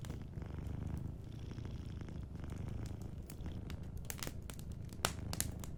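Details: Gentle low purr of a sleeping cat, rising and falling with its breathing, joined by scattered crackling from a cozy fireplace that grows busier toward the end.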